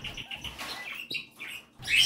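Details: Female Kakariki parrot, a pet, courting her owner, possibly giving calls linked with mating; a run of short chirpy notes, a brief gap, then a louder harsh squawky burst at the end.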